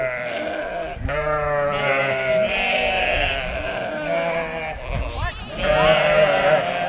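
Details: Rejected twin lambs cared for by a farm sheepdog with puppies; continuous wavering bleats, rising and falling, run almost throughout, growing louder toward the end, over low background noise.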